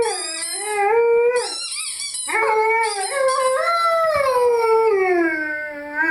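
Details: Rhodesian Ridgeback Lyle sings with his favourite toy, holding a long howl that swells, bends upward and then slowly slides down at the end, while shrill squeaks from the toy sound briefly.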